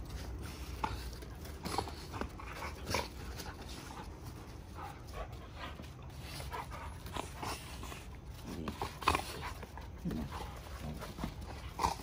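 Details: Giant Schnauzers playing rough, wrestling and tussling together; scuffling and panting with brief whimper-like yelps scattered through, a few sharper accents near the end, over steady low rumbling background noise.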